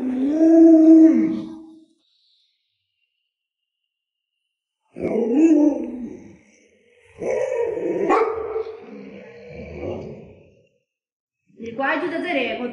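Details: Alaskan Malamute Luoluo, a pet raised by grandma and kept with other dogs, gives three drawn-out, wavering woo-like vocal bursts separated by silent gaps, with a last rising call at the end.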